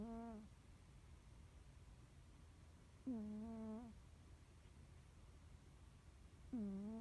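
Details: Norwegian Forest Cat fast asleep, snoring ever louder: three drawn-out harmonic snores, each about a second long with a wobbling tone, spaced about three seconds apart against a quiet background hum.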